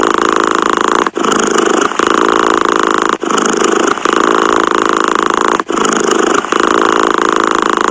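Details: Close, even cat purr with a buzzy rattling texture, interrupted by brief breath pauses about every two seconds, with no other sounds.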